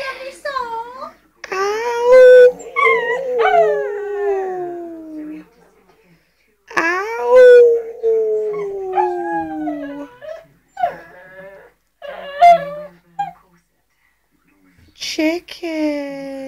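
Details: Impatient for chicken, Shih Tzu Buddy howls at home while people howl back at him. Long drawn-out howls slide downward in pitch, broken by gaps and mixed with human voices and howling.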